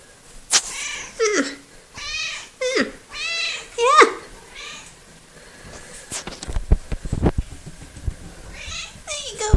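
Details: Coco, a small, very talkative female cat filmed 03.02.2018, utters four or five short, bending meows in quick succession, followed by clicks, knocks and rustling handling noises, then a final faint meow.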